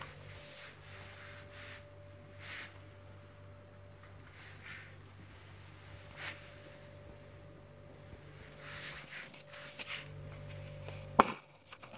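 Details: Quiet indoor room tone with a steady low hum, faint soft rustles and a sharp click near the end, with no animal voice.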